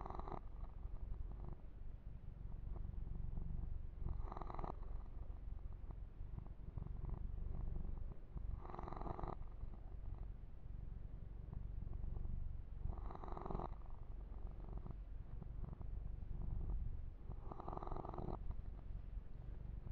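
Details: Male kitten Yumak keeps up an unbroken low purr while receiving a massage and fur grooming; handling noises recur regularly, about every four to five seconds.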